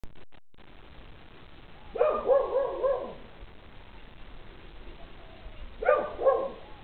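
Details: Dogs barking on a lanai: two short bursts of rapid, harsh, mid-pitched barks, three or four in quick succession, separated by a few seconds of quiet background hum.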